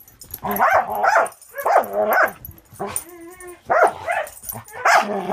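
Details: Border Collie mix Angel, aged six months, playing with Cisco: short yipping barks in pairs, rising and falling in pitch, with a thin sustained whine in the middle and more yips after.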